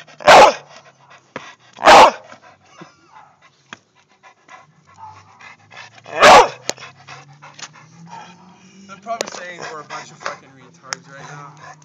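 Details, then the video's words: Dog giving three loud, harsh barks, two close together at the start and a third a few seconds later, followed by quieter voices and rustling in the background. "Dumb dog girly bark"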